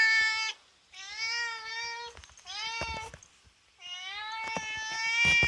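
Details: Indoor cat at a window, eager to catch a cicada outside, gives four drawn-out, slightly rising meows, each about a second long, separated by short pauses, with faint taps and clicks in the background.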